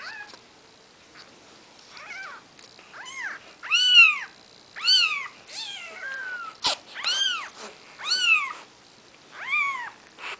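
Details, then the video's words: Maine Coon kittens, Nikita's babies, on their fourth day of life, mewing loudly and steadily: high, arched cries with a falling tail, repeated roughly every second, in a quiet room. "Maine Coon Kitten"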